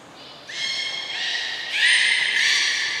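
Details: Belugas Gray, Nana and Mirai during a training session at Port of Nagoya Public Aquarium on 6 August 2023. A harmonic, buzzy-toned call begins after half a second and then shifts upward into a brighter, sustained stacked tone. A thin high whistle runs alongside it.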